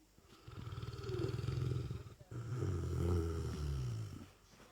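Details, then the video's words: Asleep, the Lurcher Dezo lets out very loud snoring: two long, low, buzzing rattles, each about two seconds, the second stronger and deeper, with a brief break between breaths. "Lurcher Snoring"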